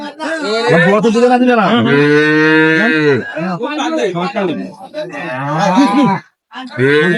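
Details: Improved-breed dairy cows and calves at Ambari haat cattle market, Dinajpur, on 23/5/25: two loud, drawn-out moos, the first lasting about a second, the second shorter, amid men haggling over prices nearby.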